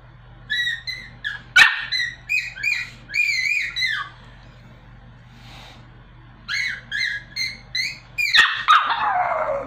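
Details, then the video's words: A little Pomeranian trying to sing produces a run of high, quavering yowls and yips in uneven bursts, pausing briefly midway, then a second volley ending with a sharp knock and a falling cry. "The Little Pomeranian Dog that Tries to Sing"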